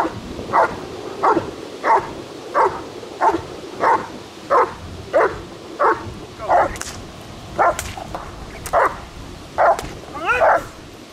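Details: German Shepherd working in protection training, under control: a steady run of sixteen sharp barks at roughly one per second, ending with a rising, whining yelp.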